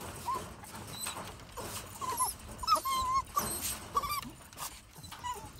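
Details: A Jack Russell Terrier gives thin, wavering whines, brief tonal notes then a longer held whine near the middle, scattered across almost six seconds over soft outdoor background noise.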